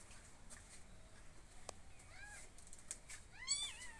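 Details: Kittens filmed in a garden while being fed: faint high arched mews, two soft calls then a louder one near the end, over hissy background noise and clicks.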